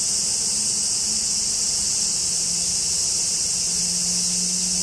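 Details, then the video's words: High, constant cicada drone in woods of the Yoro Mountains along Japan's Tokai Nature Trail toward Sekigahara, with a low steady hum running underneath throughout. "Marching to a Japanese cicada sound track."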